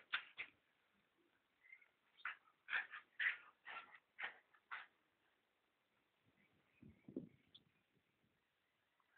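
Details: A pet dog at play indoors: a run of short high whining yelps, about two a second, then a brief low grunt and quiet; the owner speaks between calls.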